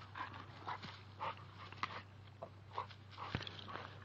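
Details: Two-year-old male American Staffordshire bull terrier Oreo, tugging at a tree, makes short, mid-pitched whining yelps roughly every half second, mixed with snapping and rustling of branches and a steady low hum.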